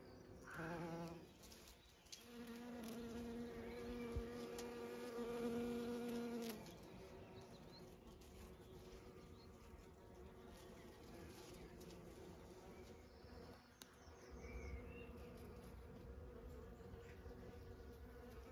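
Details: Bees of many kinds pollinating bluebells, privet and cotoneaster on a regenerative farm in County Kilkenny, Ireland; a steady droning hum swells for about four seconds, then settles into a softer, continuous background buzz.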